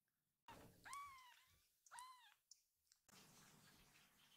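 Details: Rescued kittens indoors greeting their caretaker and being picked up: two clear, high-pitched mews about a second apart, each rising then falling, with rustling before and after.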